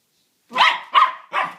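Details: Excited pet dog, eager about getting ice cream, makes three short, harsh, vocal yowls about a third of a second apart, each loud and broad. No other sounds are heard.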